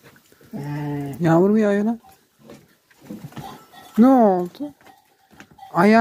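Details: Sheep kept with lambs on a farm where a newborn lamb was being cared for, giving wavering, quavering bleats in three bursts, each rising and falling in pitch, separated by quiet shuffling.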